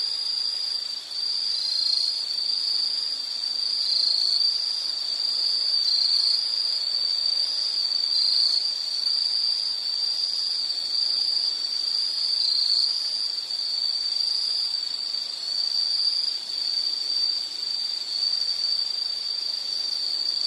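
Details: A continuous shrill insect trill, slightly wavering in pitch and loudness, holding steady for the full length against a soft background hiss.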